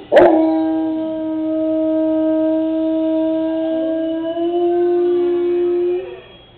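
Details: Pet Doberman howling along to the dinosaurs in Jurassic Park: after a sharp onset, one steady, sustained tonal howl held at an even pitch for about five seconds, lifting slightly near the end before fading.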